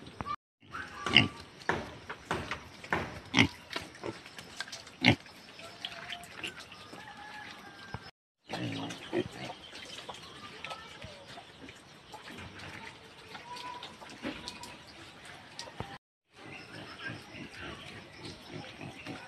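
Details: Native pigs kept by growers, heard as a jumble of sharp squeals and snorting grunts, loudest early on, broken by brief silences, with people talking faintly among the animals.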